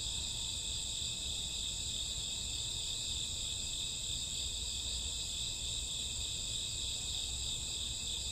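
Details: Night-time crickets and grassworms of summer and autumn produce a constant high buzzing drone of overlapping trills, steady in loudness from start to finish, with a quiet low-frequency background.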